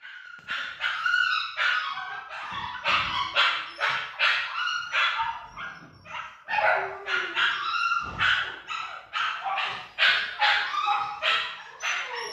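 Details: Pomsky cross Samoyed dog giving rapid, overlapping high-pitched yips and sharp barks, bursts following each other several times a second with little pause, whining tones in between.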